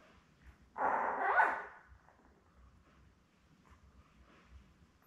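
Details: Labrador Retriever litter of seven newborn puppies, born May 24, 2021, with their mother Belle, on an indoor puppy cam; one loud, rough yelp lasting under a second, then faint squeaks over a steady low hum.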